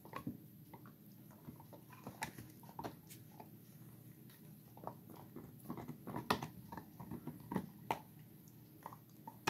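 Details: Bone-biting by four-and-a-half-month-old Gollie puppies indoors, a busy stream of small clicks and scraping crunches, growing denser and louder toward the end, room hum underneath.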